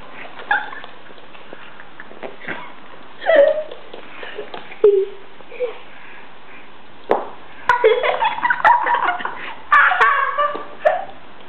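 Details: Gizmo, a 10-week-old Shih Tzu puppy, sock-fighting at night before going to sleep: scattered short whines and yips, some sliding downward, mixed with little growly bursts, thumps and rustling indoors.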